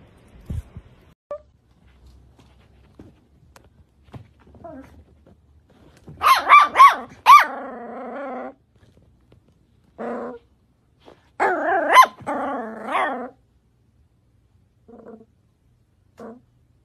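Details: Cavalier King Charles Spaniel, a pet dog indoors, giving two bursts of excited, wavering high whines mixed with short yelping barks, then a few brief soft whimpers near the end, with quiet pauses between bursts.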